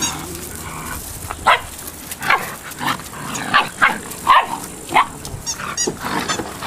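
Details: Several eight-week-old Malinois puppies yapping: high, thin barks and squeals follow each other about every half second, loud and uneven in strength, with faint background rustling.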